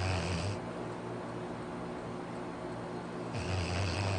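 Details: Labrador Retriever Arfie snoring in his sleep: a deep, gravelly snore at the start, almost three seconds of quiet, then another rasping snore rising near the end over soft indoor hum.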